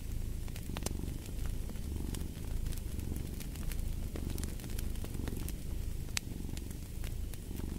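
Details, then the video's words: Low, throbbing cat purr running without pause beneath frequent crackles and snaps from a burning fireplace, the rumble pulsing gently with inhale and exhale. "Purring of a Cat"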